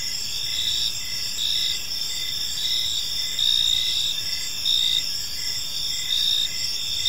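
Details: Crickets chirping in a peaceful park in the evening: a high, steady trill with pulsed bursts swelling every second or so, layered over a continuous background chorus of other insects.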